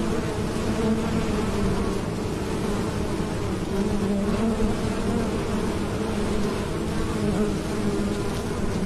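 A bee's steady, low droning buzz hums without a break throughout.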